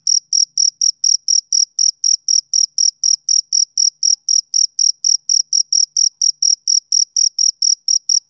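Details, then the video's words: Summer-evening chirps of a male cricket: sharp, high, ringing pulses evenly spaced at close to four per second, loud and clean against a silent background. "Cricket Chirping Sound Effect"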